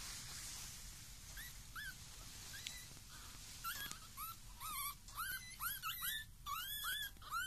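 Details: Pekingese puppies 19 days old give high, thin whimpers and squeaks, rising and falling in quick overlapping bursts.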